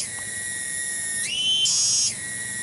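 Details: A cicada in a village garden at Kampung Bunder, Cibening, Bungursari, Indonesia: a steady high whine that rises to a louder, higher buzz for under a second, then falls back to the steady tone.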